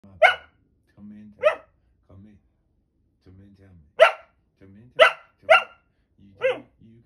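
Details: Female Norwegian Elkhound puppy barking while looking straight at the camera: sharp, bright barks, single and in quick pairs, about seven over seven seconds, interleaved with quiet low voices of people talking.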